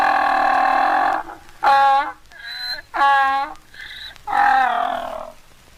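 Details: A mule or donkey brays in harsh, harmonic-rich bursts that swing between a drawn-out honk and shorter gasping notes.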